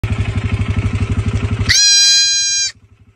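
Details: Goat giving a single drawn-out nasal meeh lasting about a second, steady and evenly toned, over a loud idling motorcycle engine that thumps rapidly before and after the call.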